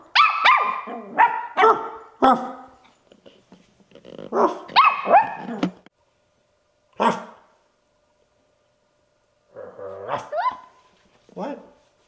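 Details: A 10-week-old Bichon Frise puppy, barking from his first day home, yaps in high, sharp barks in irregular bursts, wanting to play.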